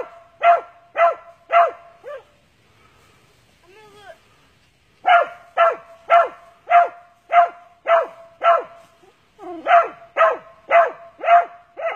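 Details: Barks from an Original Mountain Cur hunting squirrels in Texas: steady runs of sharp, evenly spaced barks roughly every half second, broken by a quiet stretch of about three seconds with faint whines.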